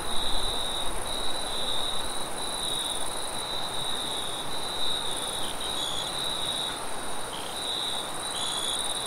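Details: Night crickets give a continuous high, pulsed trill while strong low wind roars and gusts, louder at the start.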